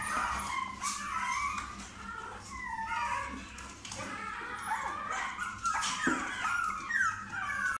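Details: Toy Chihuahua puppy making continuous high, quavering whines and soft whimpers, pitch wobbling and bending, broken by a few sharper yips near the end over low background hum.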